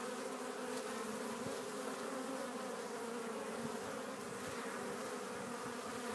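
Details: Honey bees at a Warre hive entrance in spring, April 12th, carrying in loads of pollen; a steady, dense multi-tone hum of many bees continues throughout without pause.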